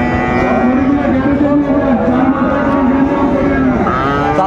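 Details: At Raniganj cattle market, Dinajpur, Bangladesh, 26 December 2024, where Friesian and cross-breed bull calves are traded: one drawn-out, low, slightly wavering moo lasting about three seconds, over steady crowd murmur and speech.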